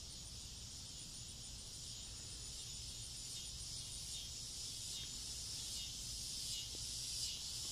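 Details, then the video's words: Noisy cicadas in front-yard trees late on a summer evening before dusk, a steady shrill buzzing drone that holds unbroken throughout, with a faint low rumble underneath. "Noisy cicadas on a summer evening"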